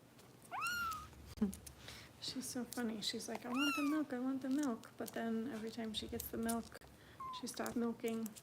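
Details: Harper, a foster kitten cared for by Kitten Rescue volunteers in Los Angeles, being bottle-fed indoors: a few sharp, bending meows at the start, middle and end, mixed with steady human talking throughout.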